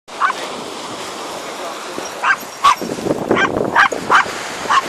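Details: Whippets running on Yarmouth beach together with Sonny, a Bedlington-whippet cross; about seven short, sharp barks in irregular bursts over a steady hiss of surf and faint human voices.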